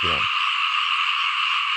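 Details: Small frogs in a rice field: one short, low, rasping croak at the start, then an unbroken high, shimmering chorus from many callers.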